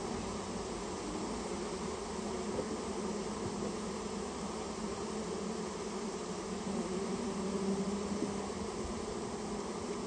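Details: Japanese honey bees swarming inside a storehouse where their nest is being cleared out; a dense, unwavering buzz of many insects with a slight swell in loudness near the end.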